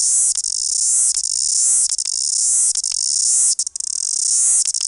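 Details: Chorus cicada from New Zealand, the country's largest and loudest cicada, with extra long wings; a continuous, very high shrill buzz pulsing in rapid surges, with brief dips roughly every second and a short break near three and a half seconds.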